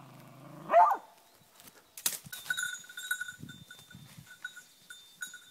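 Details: A beagle gives one loud, rising, drawn-out bay while holding a wild boar at bay during a hunt.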